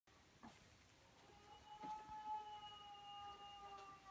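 A Basenji gives a long, steady, mid-pitched howl with a slight waver, held for several seconds.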